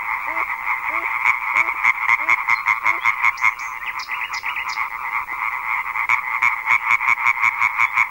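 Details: European tree frogs calling together at a large gathering, a chorus said to start at dusk and carry more than a kilometre: fast, nasal, regularly pulsed croaking overlapping into a loud continuous rattle, a few lower hooked notes early on.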